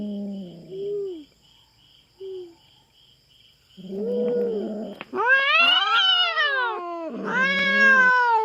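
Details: On a Philippine farm, a feral cat invading the farm cats' territory confronts a black cat. Low short growling moans are spaced out, then escalate into loud, rising-and-falling, harmonic-rich yowls near the end.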